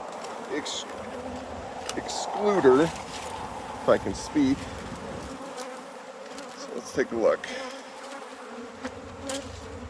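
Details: Steady low drone of honey bees at a hive being harvested, with short bursts of human voice and a few handling knocks over the hum.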